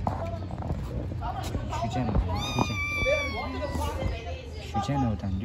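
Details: Stray kittens living on the street: one drawn-out, slightly falling meow in the middle, with people talking in Turkish around it and outdoor street noise.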